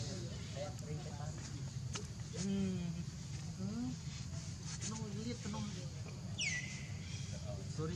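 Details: Baby monkey Leo, living in the jungle, crying to beg its mother for milk: a series of short rising, harmonic whimpers, then a high, sharply falling squeal near the end, over a steady low rumble.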